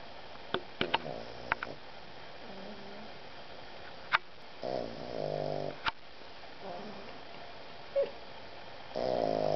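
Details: A Boston Terrier cuddling on a puffy vest snores in raspy, rattling breaths, with a few soft clicks and bumps between them.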